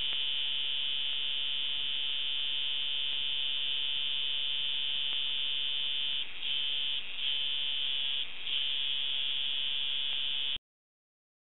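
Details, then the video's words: Australian cicada filmed up close with a hand-held camera, its body moving as it changes its sound: a loud, continuous, shrill buzzing drone held steadily, with a few brief flutters and shifts in tone toward the end before it cuts off abruptly. "Australian cicada"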